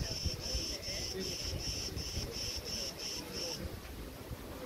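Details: Crickets chirping in August 2020 at Preveli Beach, Crete, as tree branches move in the wind. Bright, buzzy pulses repeat about four times a second for three and a half seconds, then stop. A low rumble of wind runs underneath.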